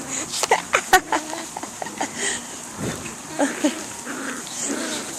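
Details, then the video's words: Ten Swedish Vallhund puppies, five to six weeks old, filmed on May 20, let out a tumble of short high yelps and whimpers, several overlapping bursts in the first second, then scattered softer whines with a faint human voice. "Swedish Vallhund puppies!"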